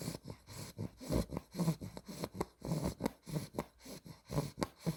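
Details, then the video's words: Asleep and snoring, Spaghetti, a two-month-old female Olde English Bulldogge in exotic blue merle tri. Soft, deep, snuffling breaths come about twice a second, each a brief low rasp, with a slight grunt on some exhales. "OLDE ENGLISH BULLDOG SNORES WHILE SLEEPING"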